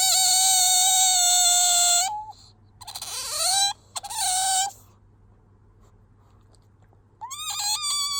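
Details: Pet otter named Bingo squeaking to appeal for attention when sleepy or wanting affection; loud sustained high whistling squeaks with rich harmonics, then shorter rising squeaks after pauses of quiet.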